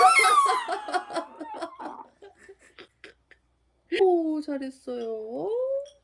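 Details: A long-haired Chihuahua (Canis lupus familiaris) howls along with a person singing a song from Frozen, in long, wavering, sliding tones.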